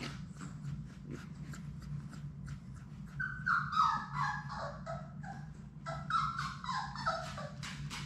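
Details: Playing Labrador Retriever puppies from Sadie's litter of six, indoors in a play room, give short descending whimpers in two bursts, the notes stepping down in pitch, among tapping, scuffling noises and a constant low room hum.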